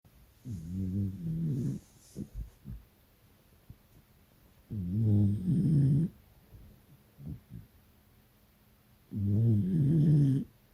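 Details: Beagle snoring loudly while napping in the afternoon beside its owner: three deep, rumbling snores, each lasting over a second, about every four to five seconds, with quiet breathing between.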